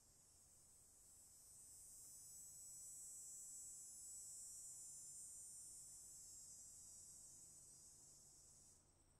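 Cicadas give a steady, high, hissing buzz that swells slightly and holds without a break.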